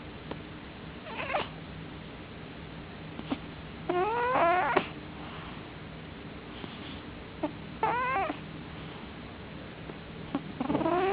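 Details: Loud snoring from a male cat sleeping in darkness: wavering, squeaky nasal whistles come in bursts every few seconds, with small clicks in between and a low background hum.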